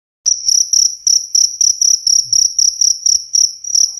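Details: Cricket used to repel rats: clear, high, pulsed chirps repeated about four times a second, each a short metallic trill burst at steady pitch, on a quiet background.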